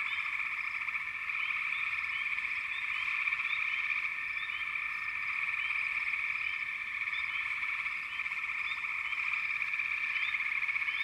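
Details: Many frogs calling at once: a loud, steady chorus of overlapping trills with frequent short higher chirps layered over the droning background.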